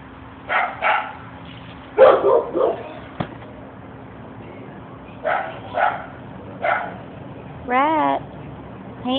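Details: Shelter dog Rhett playing with his buddy Anna: short, sharp barks in small clusters spread across the clip, with a wavering squeak near the end and a steady low hum underneath.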